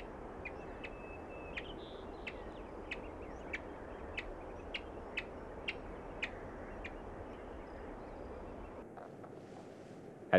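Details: Three-week-old yellow-bellied marmot young in their nest burrow in the Rocky Mountains, testing their voices, give short, sharp, high chirps about every half second over a soft rushing background, with a brief thump at the end.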